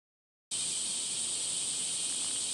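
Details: Cicadas calling on a 37°C summer morning, 23 July, along a walking path at Gifu Prefectural Centennial Park, Japan: after half a second of silence, a steady, unbroken high-pitched hiss-like drone fills the rest of the recording.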